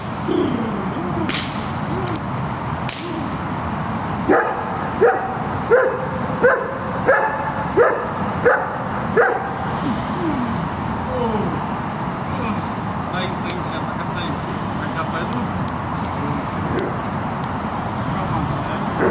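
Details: Shepherd dog in guard training, giving a run of about eight sharp, evenly spaced barks in the middle of the recording, roughly one every two-thirds of a second, with steady background noise and a few clicks before and after.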